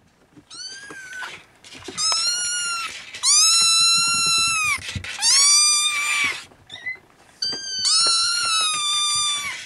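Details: Siamese kittens with their mother Siamese cat, trying to nap, some unable to sleep and waking their siblings: loud, high, drawn-out mews in five separate bursts, each a steady or slightly arching wail lasting about a second.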